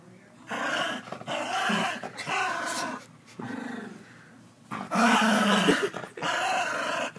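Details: Dog growling and grumbling indoors in long voiced bursts with harmonic bands, several sustained phrases separated by short pauses, the loudest near the end; possible human voice mixed in.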